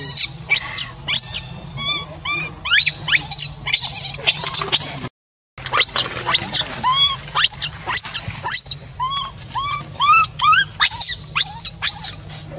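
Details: Orphaned monkey Rainbow crying without pause to call Libby back after being left to stay alone; rapid strings of piercing, squealing cries, some bending downward at their ends, nearly continuous apart from a brief silent break midway, over a low steady hum.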